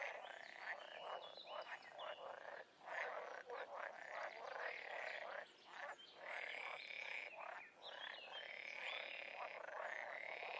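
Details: Frogs in the wild form a continuous, busy chorus of raspy croaks and higher trilled notes, many voices overlapping with only short dips in the steady wall of sound.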